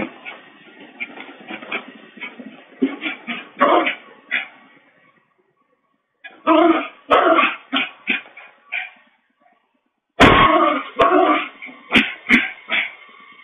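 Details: Bichon Frise dog picked up by a two-way-audio home pet camera: clusters of short yips and barks separated by silent gaps, with sharp clicks and a loud thump near the end.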